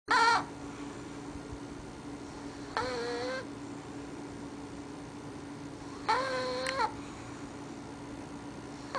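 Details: Sleeping English Bulldog puppy snoring with a squeaky voice: high, nasal, harmonic squeaks in short bursts, about every three seconds, four in all, over a steady low electrical hum.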